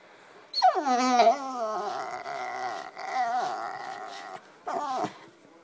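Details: Black Labrador Retriever puppy vocalising from under a couch: a high yelp dropping into a long wavering howl, a pause, a second drawn-out moan, then a brief falling whine at the end.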